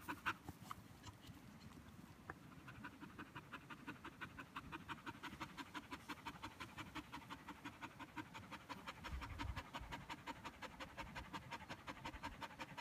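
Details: Border Collie panting hard while tired after a game of fetch; fast, steady breaths repeated nearly three times a second, each a soft airy puff, continuing evenly throughout.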